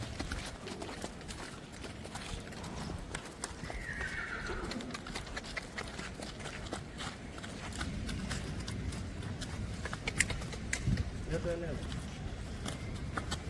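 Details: A colt from a third-generation bloodline gives a short, falling whinny partway through, over steady clip-clop of hooves and low background noise.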